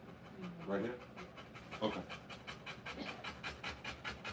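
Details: Rapid, even panting from a Rottweiler in labour delivering puppies, quick breathy pulses continuing across the clip, with a few brief spoken words near the start.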